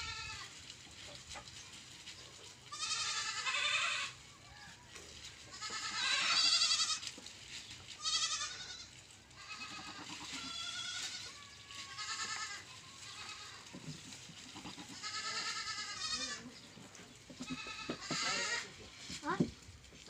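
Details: Several goats bleating on a farm: overlapping, quavering bleats of varying loudness come in bursts every few seconds, with rustling and farmyard background noise between calls.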